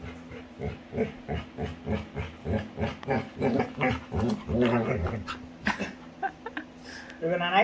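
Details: Female Labrador retriever playing with her owner, giving a fast run of low, rhythmic grunting huffs about three per second, with the owner talking alongside.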